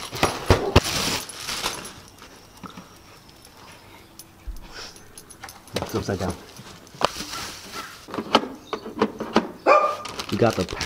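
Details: Siberian Husky barking in short harsh bursts near the start and again midway while an automatic pet feeder is unpacked and set up for treats, with a man talking between the barks and packaging rattling.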